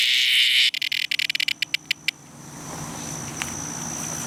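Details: Distressed cicada giving a loud harsh buzz that breaks into rapid sputtering pulses, slows and stops, leaving a thin steady high tone behind.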